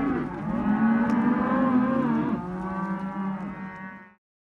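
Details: Several Hereford and Careta calves, bulls and heifers, held in a sale lot, giving long overlapping moos; the voices swell together, then one steady, slightly falling bawl carries on alone before fading out.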